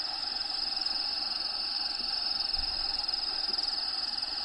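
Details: High, rapid pulsing cricket trill fills a bearded dragon vivarium where Diego lives, steady throughout, with habitat sounds playing quietly in the background.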